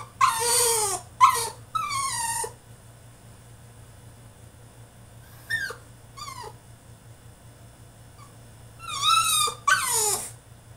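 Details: Tantrum from a French Bulldog shut in his cage: shrill squeals and harmonic whines cluster at the start, faint short whimpers follow, then two more loud falling cries near the end over a constant low hum.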